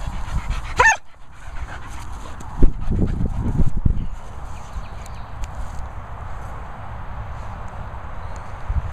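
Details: Holly Berry, an English Springer Spaniel in training, gives a single sharp bark on the spoken command "Vocal" near the start, followed by low wind rumble and handling noise.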